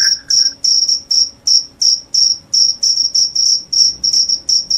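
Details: Cricket calling loudly, a sound said to drive away rats and bring on sleepiness: sharp, high chirps repeated about three times a second in a steady pulse, with a brief lower trill from another caller at the very start.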